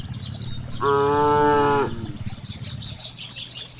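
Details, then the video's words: A single cow's moo from a herd grazing freely in a large green rice field, steady and level for about a second, set against low background rumble and light bird chirping. "the sound of cows"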